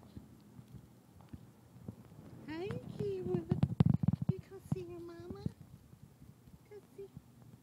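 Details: Akira, a teacup Chihuahua, running and showing off, gives drawn-out, wavering whining tones that rise and fall over about three seconds, mixed with thumping, scrabbling movement noises.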